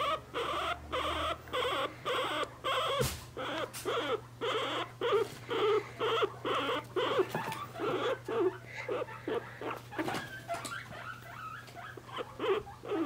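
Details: Pet guinea pig squeaking while being held, a series of short high squeaks repeated about twice a second, with faint rustling and a steady low hum underneath.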